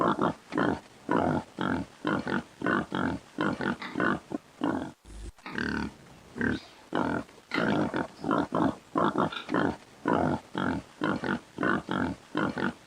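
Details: Pig. A pig's harsh, nasal grunts come in quick succession, roughly one or two every second. Some calls stretch into squealing snorts before the rhythm of short bursts resumes.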